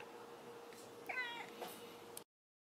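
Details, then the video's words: A pet cat utters a single brief, wavering meow midway through, over a steady background hum, before the sound cuts off abruptly. "Funny cats Cats Talking Like A Human"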